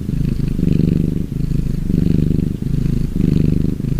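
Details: A relaxing gray tabby cat purrs steadily, a low rumbling vibration that swells and fades with each breath.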